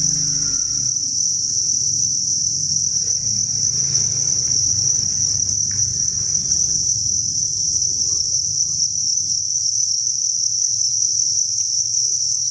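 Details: Thousands of crickets at a cricket breeding farm form a dense, unbroken high chirping chorus, a steady shrill band that never pauses, over soft low rustling and bumping.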